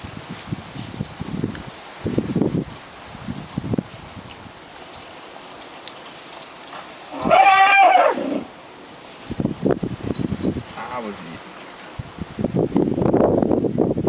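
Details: African elephants squabbling in Kruger on the second day of a visit. A single loud, brief, harmonic trumpet-like squeal rises and falls mid-clip, set among quieter rustling and low thuds. People talk softly before and after.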